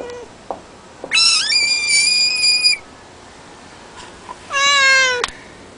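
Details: A frog screaming in a frog-scream compilation: a shrill, high, sustained cry of about one and a half seconds, then quiet, then a lower, shorter wail that ends abruptly.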